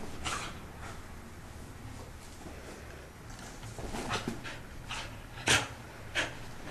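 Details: Belle, a pet dog that does not like being wet, in her routine after every bath: breathy, hissing pant-like bursts at an irregular pace, with a sharper, louder huff near the end, indoors.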